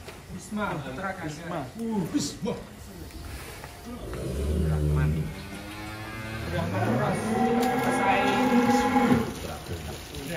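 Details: ['Giant cattle, some weighing up to 1.3 tons, in a barn in Wonosobo, Indonesia: after a few seconds of speech, one long, deep, drawn-out moo swells and holds for about five seconds before fading.']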